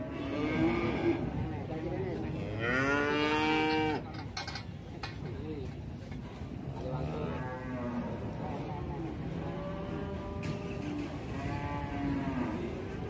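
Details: Runaway cow in a shop causing a commotion in Indonesia; a loud, long harmonic moo, then several shorter lowing calls, with shouting people and music in the background.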